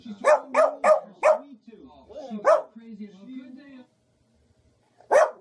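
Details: Domestic dog barking in a funny compilation: four sharp barks in a rapid run over the first second, a single bark at two and a half seconds, and another near the end, with lower wavering voice-like tones between and a quiet gap.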